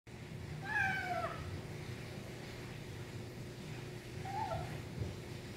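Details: A kitten making nom noises while eating: two short, tonal mewing sounds, the first gliding and falling, the second fainter a few seconds later, over a steady low indoor hum.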